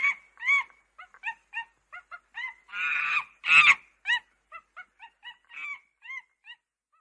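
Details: Monkey voice: bright squeaky chirps in quick irregular bursts, broken by two loud grating screeches in the middle, then more short whistled up-and-down notes trailing off.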